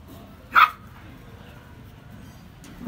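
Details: Pomeranian puppy giving one short, sharp, high yip, followed by a quiet room with faint background hum.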